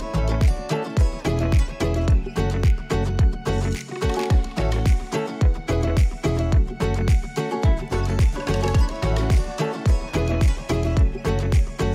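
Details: Upbeat Afrobeat-style dance music with steady percussion and bass fills the whole stretch, with no animal sounds heard.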